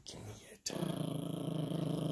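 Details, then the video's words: Female Yorkshire Terrier puppy growling while playing tug with a monkey dog toy indoors. A man speaks briefly and a short thump follows. Then comes a low, continuous, rattling growl with rapid pulses that holds steady to the end. "Insane Yorkie Growling and Playing with the Monkey Dog Toy"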